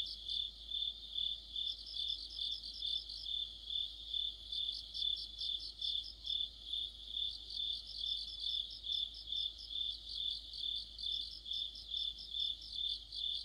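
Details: Autumn chorus of crickets and other insects. A steady high trill runs without a break beneath rhythmic, slightly higher pulsed chirps that swell and fade about twice a second. Several callers overlap, with no other sounds.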